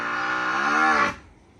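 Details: Farm water buffalo, part of a herd that likes lying comfortably in mud, gives one loud, harsh, strained bellow lasting about a second that cuts off abruptly, followed by quiet background.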